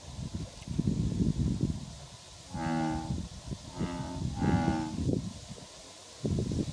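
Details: Male American bullfrogs fighting over territory, recorded 17 June 2016 at Kubokawa Ihatov, Japan: three deep, moaning, harmonic calls come in close succession mid-clip, each about half a second, between low rumbling bursts at start and end.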